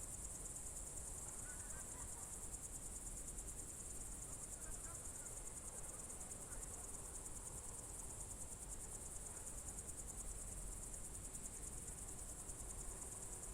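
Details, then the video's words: Crickets on a June 2023 evening in the Novye Buregi tract, Novgorod Oblast, Russia: a steady, high, shimmering trill with fine rapid pulsing runs unbroken throughout, over a low rumble of background noise. "Звуки природы , сверчки"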